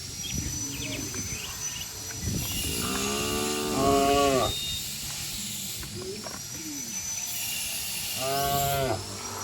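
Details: Herd of cattle and oxen jumping and running down a green hill in a village setting; two drawn-out, harmonic moos with rising and falling pitch, separated by a few seconds of outdoor noise and a faint high hiss.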